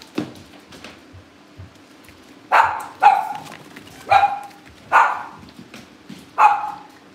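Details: Cavalier King Charles Spaniel puppies at a family home, barking in short sharp bursts, five yaps spaced roughly a second apart after a quieter start, with a steady low hum in the background.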